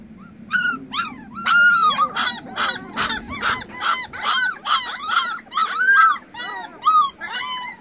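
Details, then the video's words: Young puppies with freshly opened eyes keep calling for their mother, who has wandered off. Their high arched whimpers and yelps come in a steady overlapping chorus, roughly one to two per second, with soft rustling underneath. "Anak anjing menggonggong panggil ibunya"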